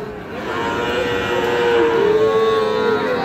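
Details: Cattle at Raniganj livestock market, Dinajpur, Bangladesh, 31 July 2025, where Friesian and crossbred bull calves are traded: one long, steady, drawn-out moo lasting about a second and a half, slightly rising at its end, over crowd murmur and vehicle noise.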